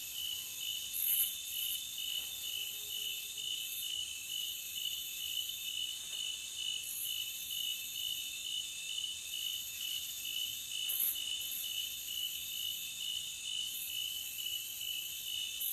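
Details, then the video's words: Forest cricket chorus ringing high and steady, a thick insect drone with sporadic sharp, clicking accents scattered across the stretch. "Cricket Sound for 5 hours Loopable"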